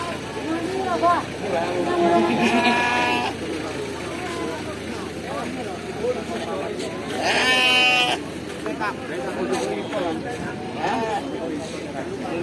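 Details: Young Kaligesing PE goats offered for sale at a goat market in East Java, Indonesia; two wavering, nasal bleats with rich harmonics around the third and eighth seconds, over steady men's talk and market noise.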